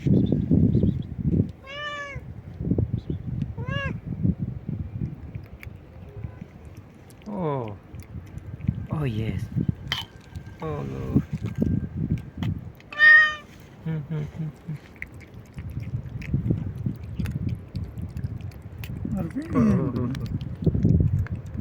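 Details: Stray cat meowing loudly and nonstop: several short meows scattered through the clip, mixed with a person talking to the cat and handling noises.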